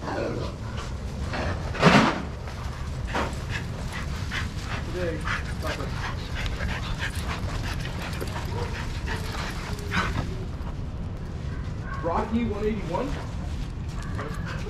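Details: Shelter-yard dogs at play, watched over by handlers; one sharp, loud bark bursts out near the start, followed by scattered fainter yips, against human voices and a constant low background hum.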